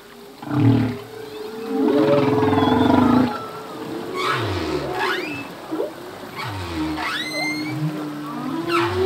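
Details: Humpback whale song from a male, part of a full-length recording of a song that changes yearly. A long steady mid tone runs beneath a loud buzzy moan, then a series of short low grunts and sharp upward whoops repeat roughly every second.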